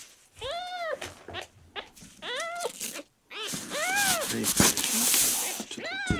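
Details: Miel, a male red tabby and white kitten rescued at one day old, sick and dehydrated and refusing milk on his tenth day in care, gives four high arched meows, each rising then falling, with handling rustle and a hiss of noise between cries.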